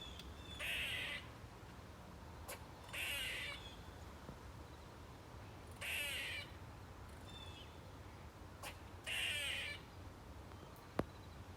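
A squirrel gives harsh, raspy screeches, each about half a second long and spaced a few seconds apart.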